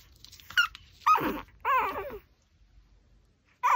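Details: Pomeranian chewing a raw pork backbone, letting out two drawn-out wavering whines with a gravelly growl underneath, preceded and followed by short sharp yips against a quiet room background.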